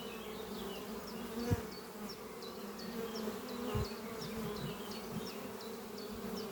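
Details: Honey bees of a thriving spring colony flying at their oak-chest hive in the morning; a dense, even buzz with brief low thumps, and a small bird repeating a short high chirp about every half second.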